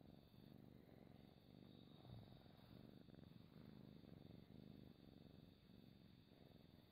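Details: House cat purring at home in a close, quiet recording meant for relaxation: a low, even, vibrating rumble runs throughout, gently rising and falling with each breath, free of other noises.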